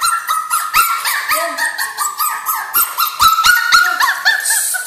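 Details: Miu, a two-month-old puppy, crying: a steady run of high, thin whimpers and yelps, each sliding briefly up then down, about four per second with short squeaky accents between them.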